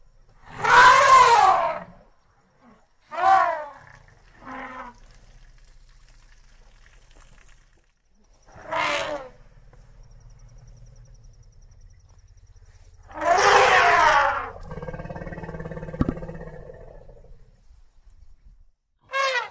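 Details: African bush elephant in its natural savanna habitat giving loud, brassy, harmonic trumpeting blasts of one to two seconds, about five spaced across the recording, with a quieter low rumble between blasts.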